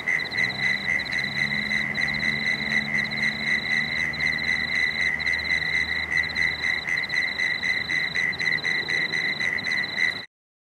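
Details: At dusk along the Cooks River, Marrickville, frogs keep up a fast, even chorus of short pulsed notes, roughly four a second from several overlapping callers, while bats fly overhead; a low engine hum passes underneath before the recording cuts off.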